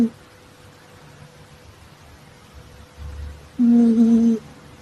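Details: Female calico Exotic Shorthair asleep and snoring in a quiet room; a single smooth humming snore swells near the end after a long hushed pause, low and even in pitch with a faint overtone above.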